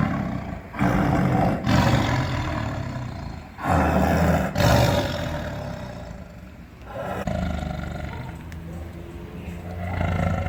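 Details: Big cat roaring loudly: harsh, rumbling roars fill most of the recording, with brief pauses between long bursts and a steady noisy background.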